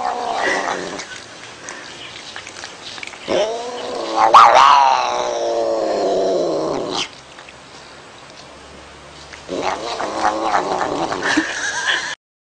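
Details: Cat producing loud, eerie caterwauls, a long wailing yowl bending up and down in pitch that builds to a strained peak, a pause of low murmur, then another harsh drawn-out wail before an abrupt end.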